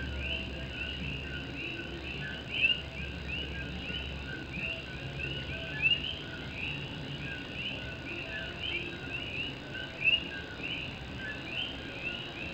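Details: Coqui frogs of Puerto Rico singing on a rainy night in Morovis while rain patters on an old tin roof; continuous overlapping rising whistled notes, a few closer calls peaking every few seconds, low rumble beneath.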